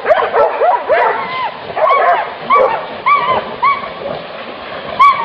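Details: Hunting dogs after wild boar give rapid high-pitched yelping barks, many with a rising then falling arch, coming in quick bursts with fainter yelps between them.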